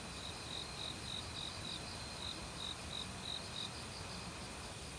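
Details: A forest cricket in autumn, one of many insects calling. It gives clear high chirps repeated about three times a second, with a few sharp high clicks near the end, over steady running stream water.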